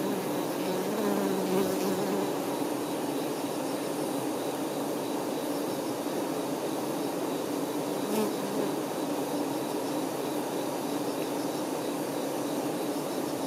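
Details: Dense hum of honey bee workers caring for their queen bee: an unbroken, mid-low buzz of many wings that swells slightly in places, with brief higher whining passes from single bees near the start and middle.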